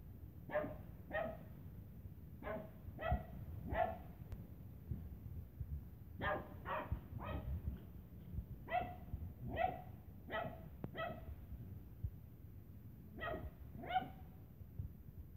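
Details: A Lhasa Apso playing with a Tibetan Terrier gives sharp, bright barks in quick pairs and short bursts, with pauses between.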